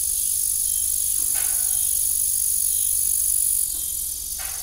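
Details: Evening crickets at an old family farm keep up a continuous high-pitched trilling drone, while an idle windmill adds a few soft, short creaks in the background.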